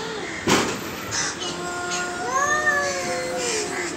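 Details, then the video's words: Pair of aggressive cats: after a sharp knock, one long, drawn-out meow swells and bends slowly upward, then sags over about two seconds, against steady background hiss. "Two nice looking aggresive cat meowing"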